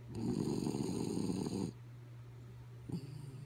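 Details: Kaya Boo the dog, asleep, draws a long rasping, rumbling snore of nearly two seconds, then after a pause a brief snort-like breath, over a faint continuous hum.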